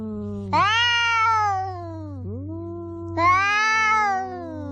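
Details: Household cats fighting face to face: two loud, strained yowls that swoop upward and hold before tailing off, with a softer low moan between them and a constant electrical hum underneath.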